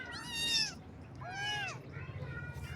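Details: Baby kittens meowing on their first morning: two high, harmonic-rich mews, each arching up then falling, the second slightly lower, then a fainter third call at the end over a low background rumble.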